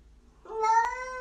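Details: Pet cat 'talking' indoors: a single clear meow about a second long, rising at the onset then held level, with a short click midway.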